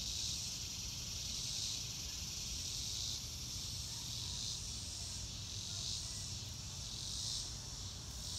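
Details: Chorus of crickets recorded in nature without music: bright, high trilling pulses that surge and ebb in clear beats every second or so, against a faint low background rumble.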